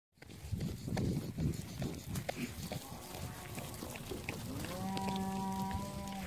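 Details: Brangus steers in a group of thirty-eight: a single sustained low moo rises and then holds steady over the last second and a half, after a stretch of shuffling, thumping and scattered bumping noises.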